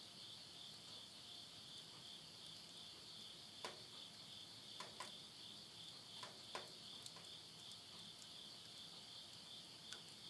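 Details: Insects singing at midnight in the Japanese countryside of Tottori, September 2020 as summer ends: a dense, even shrill hum sustained throughout, overlaid by a handful of crisp crackles from a burning wood stove around the middle.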